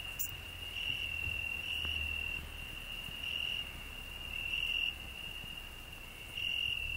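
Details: Cricket singing on a rose bush, with a grasshopper also singing on the same bush: a steady high continuous trill in long bursts, swelling louder at intervals, with brief clicks over a quiet background.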